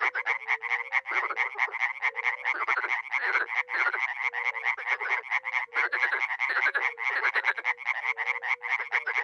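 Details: A dense spring chorus of dozens of frogs and toads, such as Bombina bombina and Hyla arborea, at a small pond in a village in NE Romania: rapid harsh croaks overlapping with soft low hoots.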